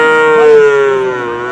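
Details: At the Ambari livestock market in Dinajpur on 7 August 2026, a cow with calves gives a strong, clear, tonal moo that sinks slightly in pitch and fades over under two seconds, almost free of background noise.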